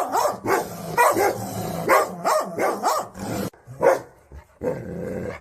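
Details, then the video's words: A dog barking rapidly, about one bark per second, each bark a short, rough rising-and-falling yap, with a brief lull before the barking resumes. "कुत्ता का आवाज"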